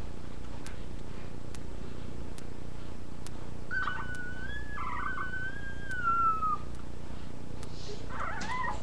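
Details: A puppy gives a single long whimper about halfway through, first steady then gently falling, followed by a short rough squeal. The rest is quiet apart from a constant low hum and scattered soft clicks.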